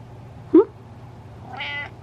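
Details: A pet cat answers its owner's question indoors: a quick upward chirp, then after a pause a short, bright, nasal meow. A human voice is heard before and after.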